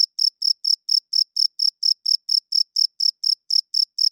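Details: Cricket chirping loudly at night, the male's wings rubbed together to attract females and hold territory; bright, high pulsed chirps repeat steadily about four times a second, some seventeen in all, over a perfectly silent background.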